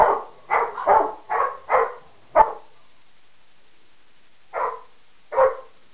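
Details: Barking among three pets, Harley the Peke mix, Sadie the Rottweiler and Wyatt the Mastiff/Pitbull: a quick run of six rough barks, a two-second silence, then two more spaced barks.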